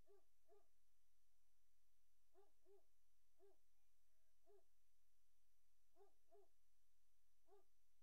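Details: Great Dane puppies in their nursery, recorded 03-04-2019 in late afternoon, giving short squeaky whines, often in quick pairs, spaced irregularly through a quiet indoor room with steady low hum.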